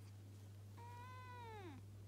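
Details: Pet cat while playing, uttering one clear, tonal meow that holds level and then slides downward at the end, over a constant low hum.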